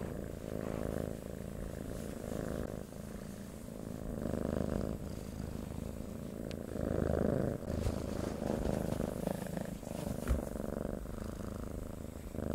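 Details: Domestic cat purring softly and continuously, a low vibrating rumble with a quick regular pulse, its volume swelling and dipping in long slow waves, with a few light clicks.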